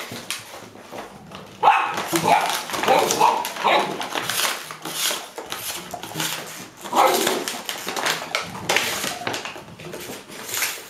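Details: Golden Retrievers in October 2013 in Haute-Savoie, France: a five-year-old grandmother playing with a bottle among six boisterous 7-week-old grandpuppies; sharp, irregular yelps and short barks come in quick bursts, with a faint voice and rustling nearby.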